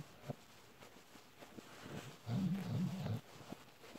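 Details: An adult Bull Terrier suckles on a plush panda toy, making faint, low smacking clicks, then a sustained, wavering, throaty moan for about a second before the soft sucking resumes.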